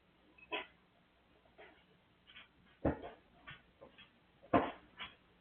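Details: Dippie the dog making noise: a run of short whining, whimpering yelps at irregular intervals, some louder and harsher, about seven in five seconds, with a quiet background.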